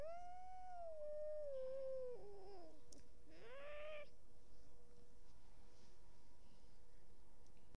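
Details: Cat meowing in a long, slightly falling wail, then a short wavering cry and a brief rising meow, with a faint steady hum behind and quiet afterwards.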